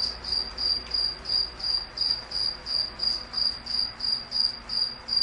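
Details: A cricket chirps in a relaxing sleep recording, its high pulsed notes coming about three times per second in a steady rhythm over low background rumble.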